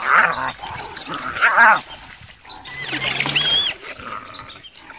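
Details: Wild dogs defend their food against hyenas. Wavering, mid-pitched wailing calls come first, followed by a cluster of shrill, wobbling high squeals around the third second. Softer calls follow, with ambient noise throughout.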